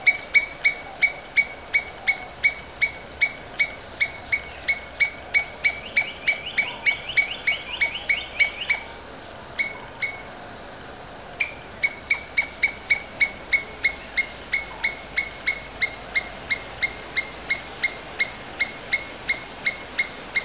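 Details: Domestic Asian palm squirrel giving sharp, high chipping notes in a steady series of about three per second. The series pauses briefly midway, then resumes with the same even, insistent rhythm.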